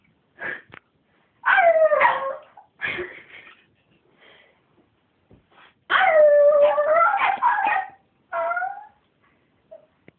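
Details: Early-morning singing by a pet Miniature Schnauzer wanting its owner awake: short yips and whimpers broken by two longer quavering howl bursts, with quiet gaps between.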